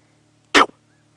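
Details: On a sunrise safari drive on 30 May 2016, a vervet monkey gives a single harsh, rasping bark, an alarm call of the kind monkeys give for a leopard.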